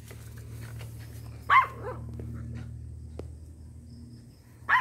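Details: A micro miniature pinscher gives sharp, high-pitched yaps, one near the start and another at the very end.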